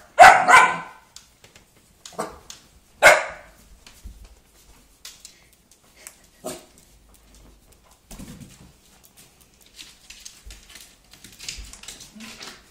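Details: Pookie the puppy, scared of a hula hoop in a small room, lets out loud sharp barks at the start, a few more spaced barks, then quiet shuffling and faint rustle.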